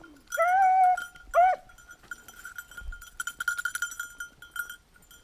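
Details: On 19 October 2022 a Beagle searching for a lost hare gives one drawn-out howling bay and a shorter yelp, followed by a bell-like jingling ringing and scattered clinks.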